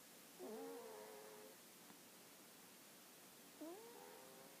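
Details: Snoring of a sleeping dog, two breaths about three seconds apart, each a whistled nasal tone that rises then holds steady with faint overtones, over a soft constant hiss.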